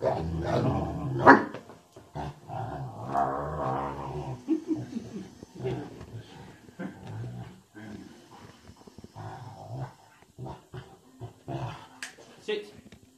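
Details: Dogue de Bordeaux, said to sound like a bear, making deep grumbling growls and moans with a few sharp barks, the rumbling vocalising continuing in uneven bursts throughout.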